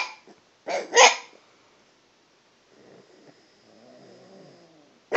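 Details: Dog chatting at a cat, trying out different pitches; two loud, rough bark-like vocalizations close together, then quiet, low, wavering grumbling sounds, ending with another sharp vocal burst.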